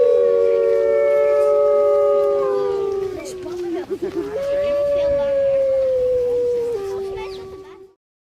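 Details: Grey wolves howling in a zoo enclosure at Artis Zoo, 10-11-2013, phone-recorded; two long level howls slide downward, break into brief wavering yelps around four seconds, then resume with a lower held tone before fading.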